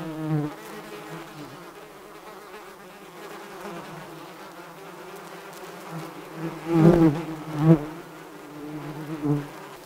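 Bees give a continuous low drone, a deep buzzing hum from many wings at once. Now and then one flies close and the buzz swells briefly louder before fading back into the background.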